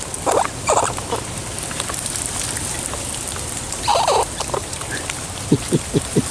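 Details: A wild squirrel living in trees by a home, feeding outdoors during a rain shower while being poked and petted and smelling a pecan in a hand, gives a few short, sharp squeaks amid steady rain patter and some soft low tapping.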